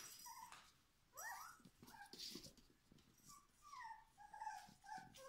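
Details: Schapendoes puppies aged four weeks, indoors: one rising, quavering whine, then a run of short, thin squeaks and whimpers over soft rustling.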